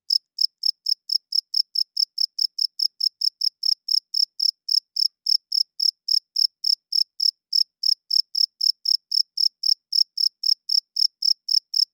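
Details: A cricket chirps loudly after dark with a fast, regular string of high, ringing pulses, nearly four per second, continuing without pause for twelve seconds against total quiet.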